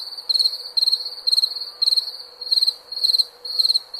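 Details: A cricket gives bright, rapid pulsed chirps at a high, fixed pitch, roughly two per second, over a faint continuous hum of more distant insects.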